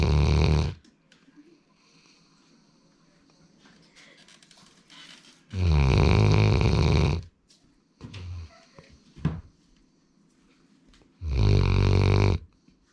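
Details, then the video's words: Sleeping male Labrador Retriever Sora, born 2019, produces three loud, deep, rattling snores about five and a half seconds apart, with quiet breathing and small indoor noises between them. "ラブラドールの いびき"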